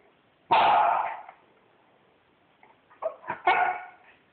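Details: Pet Corgi dog indoors demanding belly rubs: one loud harsh bark with a long ringing tail, then after a pause a cluster of shorter grumbling yips and another bark.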